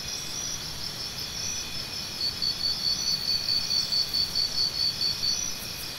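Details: High, ticking cricket chirps arrive in a quick regular series, about four each second for three seconds, after a quieter stretch of continuous insect hiss.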